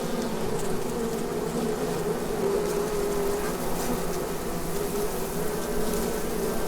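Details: Continuous hum of Asian hornets (Vespa velutina) around a nest in an oak tree on the Abruñeiras walking path at Noia, Ría de Noia; an even, low buzzing drone holds steady throughout with a faint hiss.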